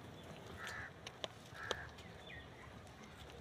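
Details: Hungry baby goat kids searching for milk bleat twice, two short high, nasal cries about a second apart, over a quiet rural background with a few faint clicks.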